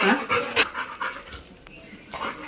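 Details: Labrador dog at play through the day, panting in rapid, airy bursts, strongest at the start and again near the end, with a quieter stretch between.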